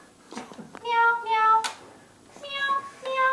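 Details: Meow Head, a domestic cat, on the attack, gives two drawn-out, clear tonal meows, each lasting under a second, with a few soft clicks and rustles between them.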